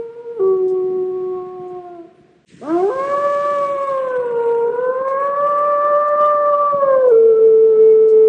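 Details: Gray wolves give lone (lonesome) howls, the call of a wolf separated from its pack trying to locate it: long steady tones with sudden jumps in pitch that make the howler easier to locate.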